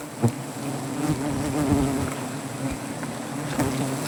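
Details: Native honey bees, angered while their hive under a tree is harvested for honey in Gazipur, give a continuous low humming buzz with a slightly wavering overtone, steady throughout, with a few soft knocks.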